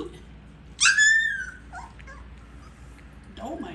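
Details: Several Siberian Husky puppies at feeding time produce one loud, strained whine that starts high and slides gently downward, followed by softer squeaks, with a woman calling them to come eat and a faint hum behind.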